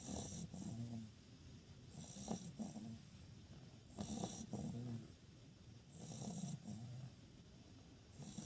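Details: Snoring puppy in deep sleep, low rattling breaths repeating about every two seconds in a steady rise-and-fall pattern, quiet background.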